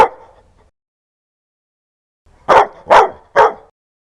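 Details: Loud, fierce dog barks: one trailing bark at the start, then after a pause a quick run of three harsh barks about half a second apart.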